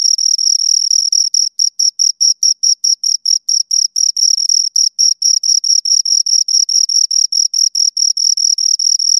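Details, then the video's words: Two crickets stridulating near the microphone: rapid high chirps in a continuous train, spacing shifting slightly as the two callers overlap, otherwise silent. "Two Crickets Chirp Sounds"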